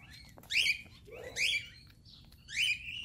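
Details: Chihuahua, once abandoned, breaking down crying on reunion with its owner; three loud, shrill, wavering whines about a second apart, each sliding upward then fading, with a soft low background hum.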